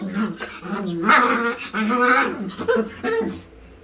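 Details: Chihuahua puppy indoors, seeking affection while its owner is in the bathroom: a run of high, wavering whines and whimpers with bending pitch, several packed into a few seconds, closing on a short sharp note.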